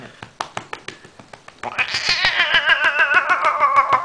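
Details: Male domestic cat wailing loudly while being petted roughly and patted on his sides, which he enjoys; after a run of sharp taps a long, wavering, descending yowl rises and trembles to the end.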